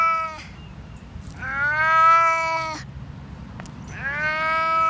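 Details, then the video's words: Deaf domestic cat calling loudly indoors: long, drawn-out harmonic yowls, the middle one rising then holding steady for about a second and a half, with a shorter cry before it and another starting at the end. "Most annoying sound in the world. Deaf cat"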